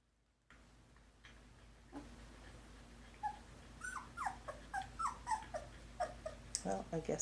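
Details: Poodle puppies from a litter of brindles and partis whimpering indoors: a string of short, high, falling whines and squeaks, roughly three or four a second, growing louder and more frequent toward the end over a steady low hum.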